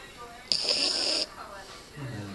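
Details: A red Boston Terrier lets out a single rasping, high, hissing snore that lasts under a second while sleeping, then soft human voices murmur in the background.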